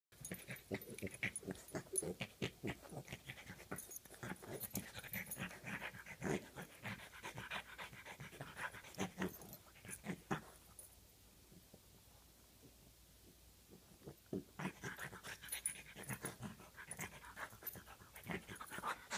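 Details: Bowser, a French Bulldog puppy, wrestling a foot in play; continuous rapid snuffling, wheezy panting and snorting bursts, dropping to near quiet for several seconds mid-way before the busy huffing resumes.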